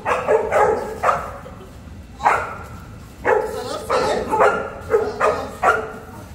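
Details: Boerboel, or South African Mastiff, one of a pair living in Egypt, barking: deep, forceful single barks repeated roughly every half second to second, in irregular bursts, with light background noise.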